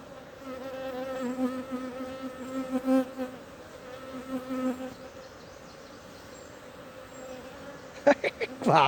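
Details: Wild honey bee swarm in a large tree hole in the Timang jungle, Manang district, Nepal, Annapurna region, being caught by bare hand for a new hive; a steady, droning hum with rich overtones that swells and fades, ending with sharp handling knocks.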